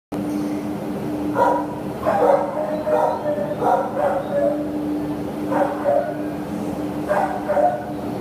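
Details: Terrier up for adoption, recorded 27 September 2015: short, hoarse barks in twos and threes, scattered across the stretch with gaps between bursts, over a steady low mechanical hum.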